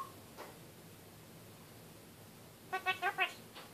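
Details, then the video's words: Caged pet kakariki talking: after a near-silent stretch with a faint note, a rapid run of four nasal, buzzy syllables closes the recording. "Kakariki talking"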